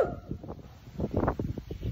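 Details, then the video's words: A zoo spotted hyena gives a string of low, rough grunts and groaning pulses in quick irregular bursts, answering a lion grunting up the hill. "Spotted hyena talking 🥰"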